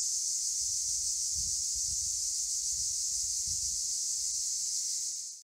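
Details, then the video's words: Cicadas in Akamas National Park, Cyprus, fill the air with a steady, dense, high-pitched buzzing drone that holds unbroken for about five seconds before cutting off abruptly. "Cicadas in Akamas National Park in CYPRUS"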